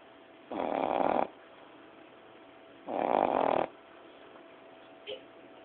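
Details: Female Boston Terrier puppy, 9-10 weeks old, snoring at naptime indoors: two loud, rasping snores of nearly a second each, roughly two seconds apart, then a brief faint snort.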